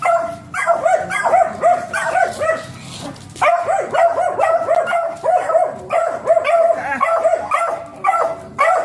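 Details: Beagle during a stud session giving high, harmonic yelping and whining calls in quick repeated bursts, a short pause near three seconds, then continuing in an uneven series to the end.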